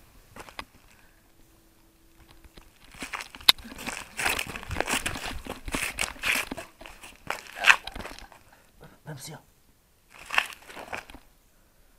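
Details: Indoor talking in a small room with crinkling and crunching noises, and no animal voice heard.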